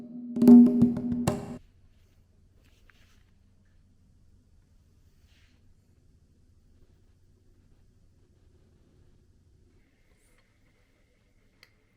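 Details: A short percussive, wood-block-like chime lasting about a second and a half, followed by near silence with a faint low hum.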